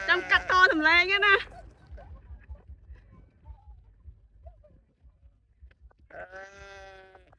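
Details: Sheep being chased: a loud, quavering bleat opens, then quiet shuffling and rumble, and a second steadier bleat near the end.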